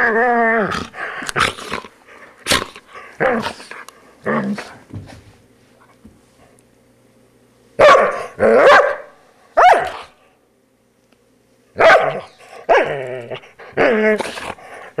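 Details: Poodle during grooming gives clusters of short harsh snaps and barks, with a quiet pause midway before the snarling bursts resume.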